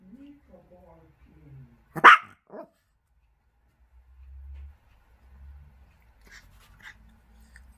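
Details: Pet Chihuahua indoors letting out one loud, sharp bark followed by a short softer yap, then quiet low household hum and faint scattered sounds.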